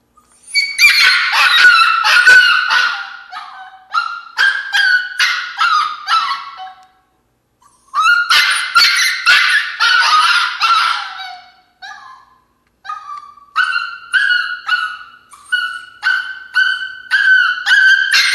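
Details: Female Alaskan Klee Kai puppy throwing a fit in her crate, letting out bursts of loud, harsh, screaming yelps in rapid runs, broken by short silent pauses, then more even, repeated wailing cries.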